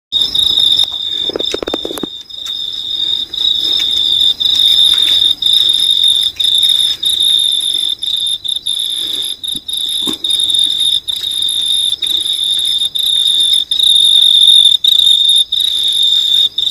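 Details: An unidentified insect at night in New Zealand gives a steady, high, shrill trill that holds on without a break.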